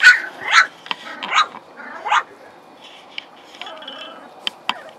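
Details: Playing puppies, hungry, in the morning: a burst of four sharp, high yelps over about two seconds, then scattered clicks and scuffling sounds of play.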